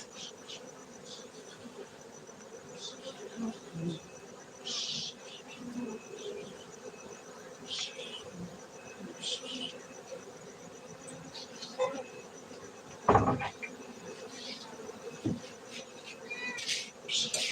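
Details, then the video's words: Farmed honey bees in Bener Meriah, Gayo, Aceh, Indonesia give a continuous low drone, overlaid by repeated brief hissing bursts and a sharp loud thump around the thirteenth second, with a thin high whine persisting. "Markaz lebah madu gayo Aceh Indonesia bener meriah"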